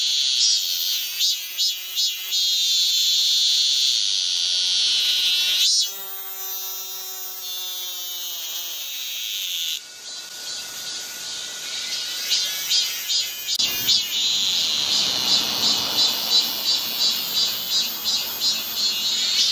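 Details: Cicadas in midsummer on Galsan hill, Gocheok-dong, Seoul, South Korea: a shrill, high buzz pulsing about three times a second, then a smoother drone, with a falling layered tone midway and a faint steady whine.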